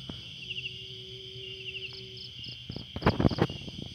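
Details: Crickets at night in a quiet garden, a steady high trill with pulsed bursts near the top, over a low hum, a faint steady tone and several loud knocks and thumps toward the end.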